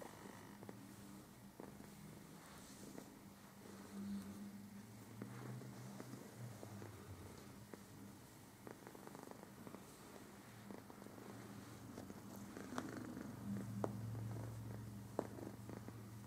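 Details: Domestic cat relaxing indoors while shedding its winter coat; soft, steady low rumbling purr running throughout, with faint small clicks and rustles over it.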